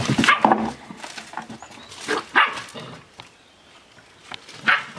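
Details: Playing Australian Shepherd pups aged seven weeks give three short, high barks or yelps spaced about two seconds apart, each a quick harmonic burst, with light rustling between.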